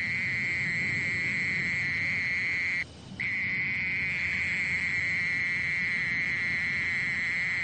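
A mole cricket gives a continuous, pure-toned trill, an even churring hum held at one pitch. The song breaks off for a moment partway through, then resumes unchanged over a faint low background rumble.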